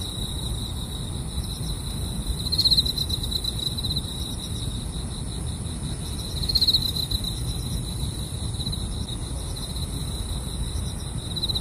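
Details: Grass insects at a car-camping site: an unbroken high trill, with two louder pulsed chirp bursts about four seconds apart, over continuous low rumbling noise.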